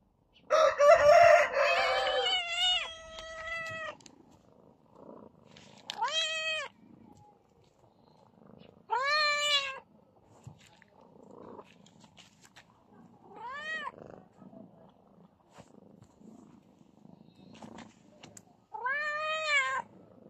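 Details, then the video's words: Domestic cat, one of a pair named Belang and Beauty, meowing: a rough, harsh call opens, then clear arched meows that rise and fall, spaced about three to four seconds apart with quiet gaps between them. "Meowing cat"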